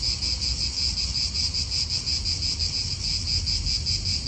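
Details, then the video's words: Cicadas in an Italian park: a steady, shrill, high buzz with a fast throbbing pulse, unbroken for the whole stretch, over a low rumble of wind. "Cicadas wind real atmosphere in an Italian park"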